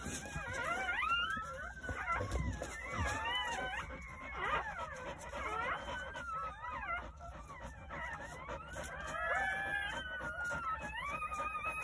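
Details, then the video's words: Jindo puppies newborn on New Year's Day, nine in the litter at a country home, give thin, wavering whimpers that overlap, rising and falling in pitch, a steady mewling chorus. "새해 첫 우렁찬 울음소리와 함께 새생명이 탄생"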